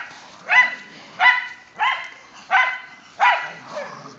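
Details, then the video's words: Dogs of a group of whippets and a rat terrier (Mikey, Kieran, Wiley and Zoe) play in the first light snow of the season. Five clear, rhythmic barks come roughly every two-thirds of a second, with faint rustling between. "snow day for whippets and rat terrier"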